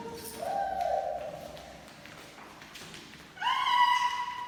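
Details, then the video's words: Human baby making noises: a drawn-out, voiced squeal with clear overtones near the start, a quieter stretch, then a second, higher tonal squeal that rises and holds to the end, over soft background hiss. "Baby noises don't need any explanation | Baby Making Noises"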